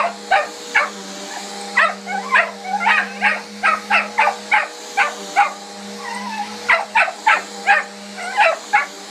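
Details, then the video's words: A mini Aussie, Hiccup, keeps barking at the vacuum cleaner: a steady string of short, sharp barks, often in pairs, nearly continuous across the recording, with the vacuum's low steady whir underneath. "Hiccup (mini Aussie) and our vacuum"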